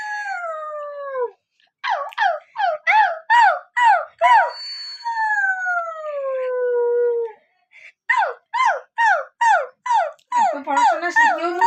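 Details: Siberian Husky alternating a falling howl with a run of short, evenly spaced yips, then a long, wavering howl that sinks in pitch, followed by more quick yips and lower whining notes.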